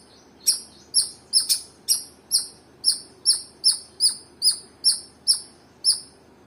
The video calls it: Squirrel chirping sound